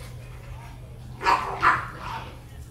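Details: Rottweiler barking twice in quick succession, two short, deep, harsh barks about half a second apart, followed by a fainter third sound, over a steady low hum in the background.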